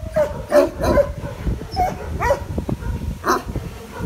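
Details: Frightened shelter dog Benno, called a Landseer by his previous owner, at Biberach animal shelter, giving short yipping barks mixed with whimpers, about two per second, uneven in rhythm, over a human voice and background rumble.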